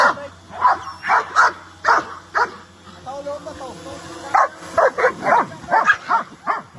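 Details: Playful dogs running about give bursts of short, sharp barks, roughly two a second, with a pause in the middle where people talk softly before the barking resumes.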